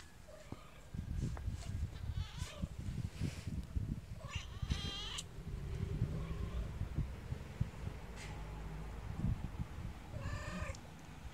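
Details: Little kittens meowing, with a few short, tonal, bending meows spread across the stretch, the clearest near the middle and the end, over steady low rumbling background noise and handling thumps.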